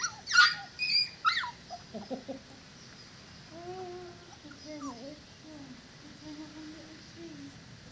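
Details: Four-week-old Dogo Canario puppies: a few loud, sharp yelps in the first two seconds, then soft, wavering whines that rise and fall in pitch, continuing in short drawn-out runs to the end.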